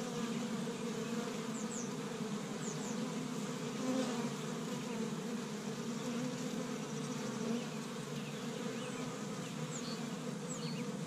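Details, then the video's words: Honey bees busy at an established hive on the first warm spring day in Michigan, gathering pollen from tree buds; a dense, steady droning hum with layered buzzing tones, unbroken throughout, with a few faint high chirps overhead. "See Busy Honey Bees Active in the Spring"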